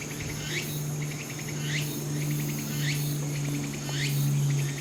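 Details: Walker's cicada on Ikarizuka mountain, Japan, 4 September 2016, the day before Typhoon No. 12 landed; clear rhythmic song of pulsed notes ending in rising buzzy sweeps, repeated about every 1.2 seconds, with a steady high insect whine and a low hum.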